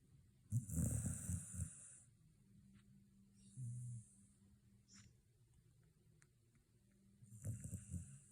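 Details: Shiba Inu asleep after a day at the dog run, snoring in low rumbling bursts near the start and end, with a softer snort in between and quiet pauses of breathing.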